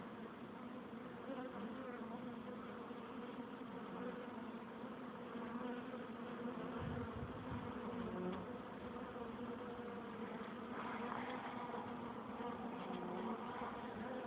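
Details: Many honey bees buzz at the entrance of their hive, making a thick, steady hum of overlapping wingbeats, with a few bees droning past more loudly midway.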